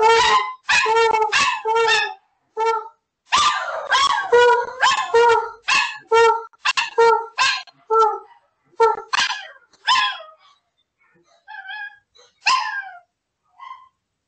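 An Alaskan Malamute gives rapid, tuneful yelping howls, repeated in short bursts that fade toward the end.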